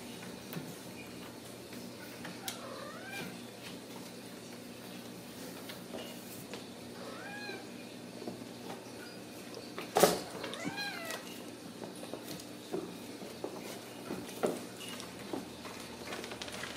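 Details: Ragdoll kittens at a cattery in central Kansas, born and raised in the home without cages. A few soft, high-pitched meows with arching, harmonic tones come at scattered intervals over a steady low hum, with one sharp knock near the middle.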